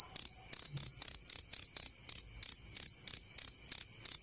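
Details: Cricket chirping, crisp and close, as tutoring audio for songbirds: evenly spaced trilled bursts, roughly three a second, each high and bright over a faint higher overtone, nothing else audible.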